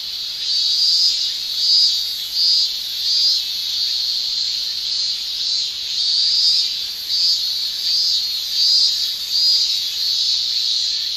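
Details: Japanese summer cicadas in full chorus: a high shrill buzz that swells and fades in loud pulses roughly every second over a constant droning background.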